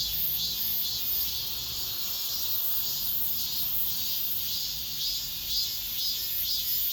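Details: Late-summer cicada chorus in an apartment complex, a high, hissing drone throbbing rhythmically about twice each second without pause.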